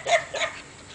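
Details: A Belgian Malinois gives two quick, sharp barks in succession at donkeys on the other side of a fence.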